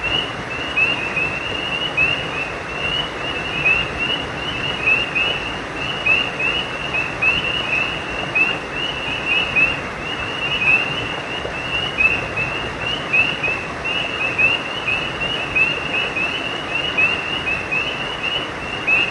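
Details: Frogs at a creek after dark keep up a long, dense run of small high chirps, each sliding upward, about fifty a minute and loosely timed, over a persistent rushing-water background.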